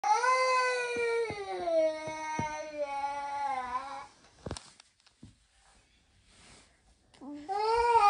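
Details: Norwegian Forest Cat indoors, keeping company with a baby during practice, gives a long drawn-out falling meow of about four seconds with clear harmonics, brief quiet, then another rising meow at the end.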